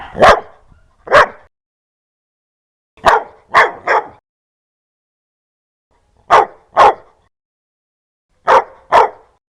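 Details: A dog barking fiercely and loudly, with nine sharp, harsh barks in short pairs and a triplet separated by pauses of a second or more. The background is silent.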